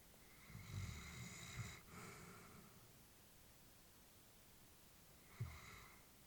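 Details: An old female Labrador Retriever sleeping peacefully in a small room: a long, breathy, gently rasping breath, then several seconds of near silence before another soft snort-like exhale begins.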